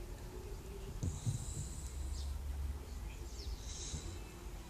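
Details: Dog sleeping at a country dacha after about three hours of walking in nature, snoring in low rumbling bursts with a snort near the first second, while steady high thin tones hum in the background.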